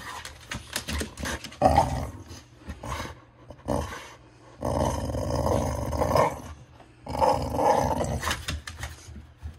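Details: A pet dog's long rumbling growl-like vocalisation, which it makes as its "let's get going" sound, likened to Chewbacca; several drawn-out throaty bursts with brief pauses between them.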